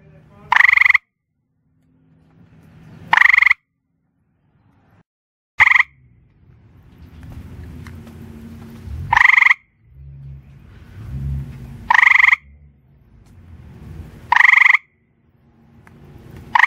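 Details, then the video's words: A gray tree frog calling after dark on a back porch, sitting on rocks/bricks, gives loud, musical trills, each under a second, repeated every two to three seconds. "Gray Grey Tree Frog Calling"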